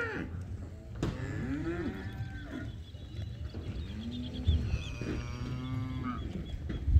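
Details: Yearling Aberdeen Angus heifers, part of a lot of 32 in Alegrete, mooing. Several drawn-out, low, arching moos with rich harmonics come one after another, with rural background noise between calls.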